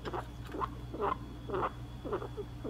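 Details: Bippo, a little pet rat, eating a hard-boiled quail egg, recorded 2022-07-04: soft, short clicking bips and smacking chews repeated roughly every half second, over a steady low hum.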